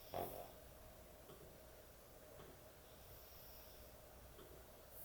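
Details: Heavy snoring from a sleeping dog indoors at bedtime, opening with a short loud snort, then faint rasping breaths over a quiet, humming room.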